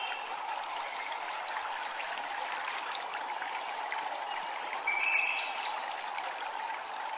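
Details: High, rhythmic cicada drone near a temple in Japan, beating in quick regular pulses against running water, with a few brief chirps from another caller around the fifth second.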